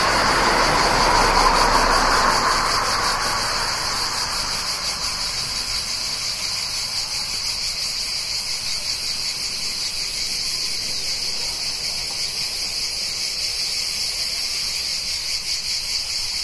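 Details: Near a town in summer, a dense chorus of cicadas holds a continuous, high-pitched shimmering drone without pause; early on a passing car adds a broad, low rushing sound that fades away.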